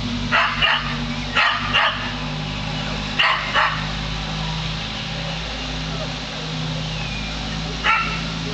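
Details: Close recording of a pet dog barking at a hot air balloon. Three pairs of rough barks come in the first four seconds, then a quieter stretch and one last bark near the end, over a steady low hum.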